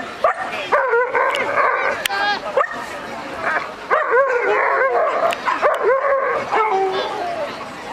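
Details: Champion-class Alaskan malamute males at the 2011 Heinola Dog Show: overlapping whines and yipping howls that bend up and down in pitch, coming in rapid bursts, with indoor crowd chatter behind them.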